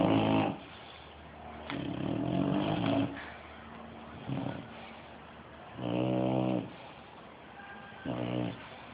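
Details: Sleeping Bulldog snoring loudly indoors: harsh, rumbling low snores in irregular bursts, some long and some short, with quieter breathing between them.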